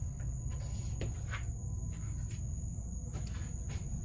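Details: A pet cricket gives a steady, thin, high-pitched trill over heavy low rumbling and handling noise.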